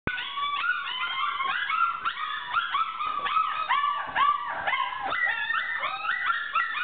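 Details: Four-week-old puppies calling loudly together, a dense overlapping chorus of high yelps and whines, many short rising-then-falling cries repeated constantly without pause.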